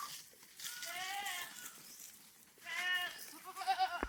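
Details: Goats on a farm, very thirsty in extremely hot weather, brought out in the late afternoon to graze on grass outside their pen; a long, wavering, harmonic bleat, another after a pause, then short quavering bleats, with faint background noise.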